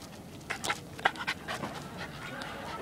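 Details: Schnauzer named Hachi, a pet dog playing and catching bubbles: a short run of quick, breathy panting puffs bunched in the first half, then softer, steady breathing.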